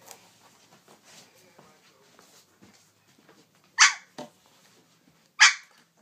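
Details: Three-week-old Siberian husky puppies playing indoors: two sharp, high yipping barks stand out about a second and a half apart, over soft scuffling and faint squeaks.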